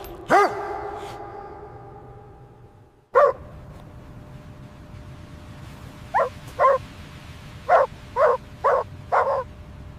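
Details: Puppies playing with their mother dog on fresh snowy ground in winter: a loud opening yelp, a sharp bark near three seconds, then a run of six short, evenly spaced yapping barks in the last four seconds over a quiet background.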